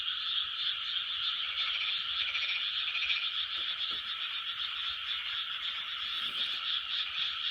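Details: Frog chorus recorded in 2020: a dense, continuous wall of many overlapping croaking calls, steady and unbroken throughout, with a brief faint click near the middle.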